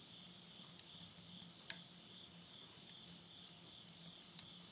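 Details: Midnight insect chorus in rural Tottori, Japan, at summer's end in September 2020: an unbroken high-pitched trilling drone, punctuated by occasional pops of firewood burning in a stove.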